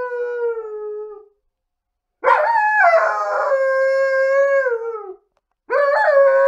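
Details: Female Alaskan Malamute relaxing on a couch, howling in long, rich tones; a falling howl ends, then after a pause a wavering, sustained howl slides down over three seconds before another begins.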